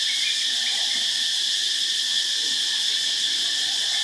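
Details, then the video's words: Cicadas in Phuket on a morning, a dense, loud, shrill droning that never pauses, steady in pitch and volume. "Cicadas loud Phuket morning"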